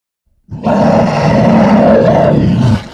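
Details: Grizzly bear giving a single sustained, harsh roar of about two seconds, deep and rumbling with a raspy, broad tone throughout and no other sounds.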